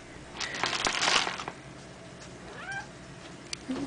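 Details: A male Maine Coon cat gives a short, rising-then-falling meow, letting his owner know he is hungry and asking to be fed.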